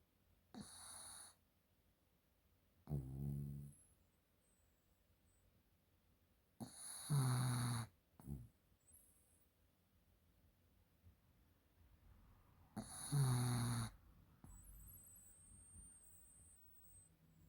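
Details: Guu the pug, deeply asleep, snores in loud rasping low bursts spaced about five to six seconds apart, each lasting roughly a second, with quiet breathing between and faint high tones in the background.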